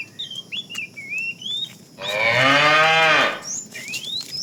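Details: Fat tame cow in a herd being driven in the afternoon, calling the female: one loud harmonic moo of about a second and a half, with many small birds chirping and whistling in the background.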